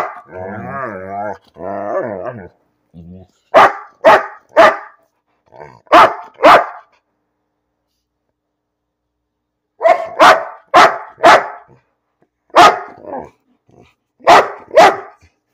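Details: Pet dog named Bean barking for no reason: a long wavering, whiny grumble with rising and falling pitch opens, then bursts of sharp barks in quick clusters of two to four, separated by short silences.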